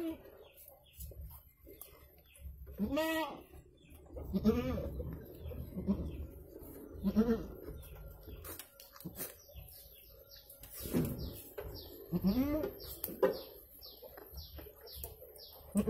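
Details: Goat giving birth to two kids: a few wavering, harmonic bleats rise and fall among low rumbling handling noise, while short descending bird chirps repeat steadily in the background.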